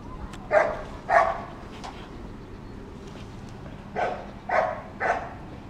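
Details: Dog barking all day at passing children and other dogs: five short sharp barks in two pairs and a triple, separated by a quiet pause of about three seconds.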